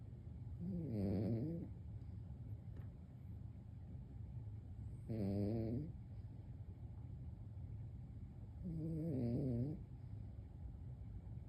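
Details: An elderly Maltese dog asleep and snoring: three drawn-out, rasping snores with a wavering, vibrating tone, spaced about four seconds apart, over a low steady background hum.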